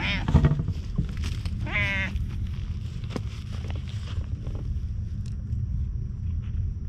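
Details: Friendly milk-tea-coloured stray cat watching over a lighthouse, filmed on a GoPro HERO8, gives a short wavering meow and a brief earlier mew over steady low wind rumble and scattered clicks.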